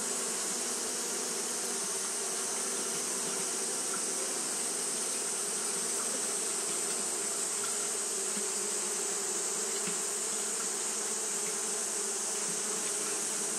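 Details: Sustained hum of many Japanese honey bees fanning their wings on a hot day, a flat, droning buzz with a sizzling high component holding level for the whole stretch.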